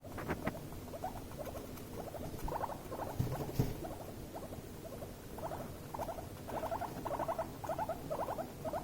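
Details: Guinea pigs in a tense, escalating encounter between two animals: quick pulsed bursts of squeaks in short clusters, fairly steady, with a low rumbling underneath and a few soft thumps.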